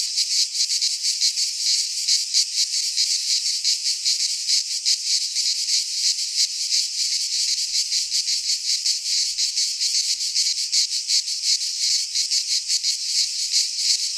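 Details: In a Greek pine forest at midsummer, many cicadas keep up a shrill, rasping drone, rapidly throbbing and unbroken for the whole stretch, with no birds, wind or voices.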